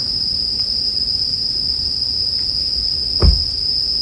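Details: Bell crickets ring on in a constant high tone while a campfire crackles; one loud pop of burning wood breaks through just past three seconds, part of a soothing sleep soundscape.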